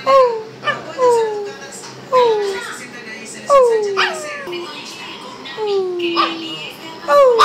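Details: A small male Shih Tzu barking indoors repeats a thin, whining yelp that drops in pitch about once every second or two, with rougher vocal sounds between the whines in a small room.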